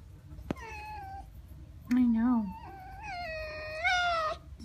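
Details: A pet red fox pouting indoors whines in several wavering, nasal cries that rise and fall, mixed with an owner's low speaking voice.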